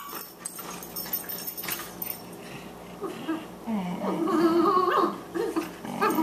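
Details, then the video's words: Playful Boxers, 14-week-old Margie and older Lou Dog: quiet scuffling builds into loud, continuous growling and whining with rough, rising yelps toward the end. "Boxers at play"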